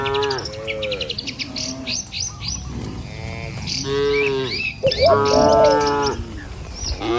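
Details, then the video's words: Tame cattle herd in a village, morning, moving along a village road toward the pen: repeated harmonic moos from several animals, some rising and wavering, with bird chirps overhead and hoof shuffling below. "Puluhan Kawanan Sapi Lembu Berlarian Menuju Kandang, Suara Moou Sepanjang Jalan Desa"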